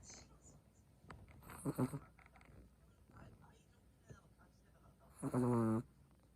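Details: Dozing Chihuahua giving two buzzy snores, a shorter one early and a louder, longer rasping one near the end, separated by faint breathing and a few small clicks.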